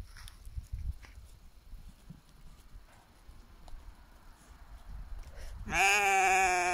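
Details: Domestic sheep in a flock in the mountains of British Columbia, Canada, guarded by a young Bully Kutta–Tibetan Mastiff cross and an adult Tibetan Mastiff; after quiet rustling, one loud wavering harmonic bleat begins near the end and is cut off.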